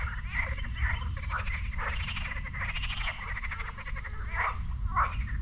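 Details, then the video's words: Frogs croaking in a lake near the beach at Sinemorets on a May morning in 2022, a dense overlapping chorus of rattling, pulsed croaks with short bursts every half second, faint high bird chirps above and steady low rumble beneath. "Frog Lake in Sinemorets"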